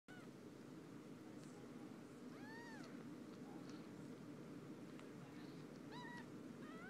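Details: Four-day-old kittens mewing while their mothers bathe them; thin, arched high mews come singly and in short pairs around the middle and near the end, over a steady low background hum.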